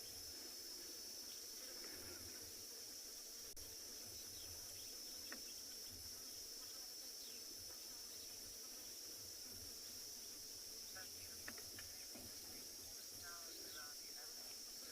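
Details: Cicadas at sunrise on 28 October in Tswalu Kalahari Game Reserve, South Africa, in summer: a steady, unbroken high-pitched buzz holds through the whole stretch, with faint scattered ticks and distant calls beneath it.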